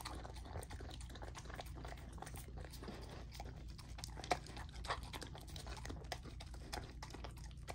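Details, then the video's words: Golden Retriever puppy, female, eating a raw dinner of chicken drumstick, thigh and sockeye salmon indoors; steady wet crunching, chewing and gnawing noises with sharp clicks, one louder snap midway, over low rumbling background. "Golden Retriever Puppy Raw Dinner : Chicken Drumstick & Thigh , Sockeye Salmon ASMR EATING"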